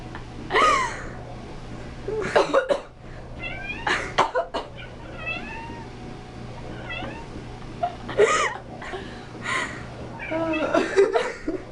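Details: Darkmoon, a talkative pet cat that dislikes people coughing or sneezing, answers with a string of short chirping meows and rising-falling calls between coughs and sneezes, indoors, with a low hum throughout.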